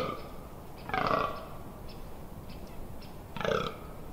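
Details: Two separate guttural belches from a fallow deer in rut, Amsterdamse Waterleiding Duinen dunes, 18 October 2021, spaced over two seconds apart with quiet gaps between.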